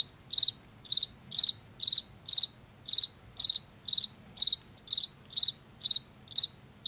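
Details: Chirping field cricket of late summer and fall, Washington: clear high-pitched pulses spaced roughly half a second apart, steady and unbroken, over a quiet low rumble.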